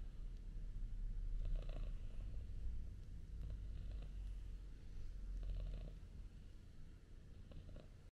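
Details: Snuggling house cats, a male British Shorthair kitten and two male domestic shorthair cats, purring; continuous quiet low-pitched throbbing rumble with a fast pulsing rhythm, fading slightly toward the end, occasional soft rustles.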